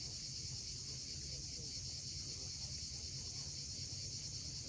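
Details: Continuous shrill hissing of cicadas at dusk on a steep seaside cliff at Cape Fiolent, Crimea, steady throughout, with low surf noise beneath.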